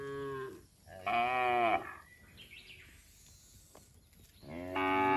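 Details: Cows moving as a group along the road low in overlapping bursts: a moo fading out, a strong sustained moo, a quiet stretch with faint bird chirps, then another moo starting.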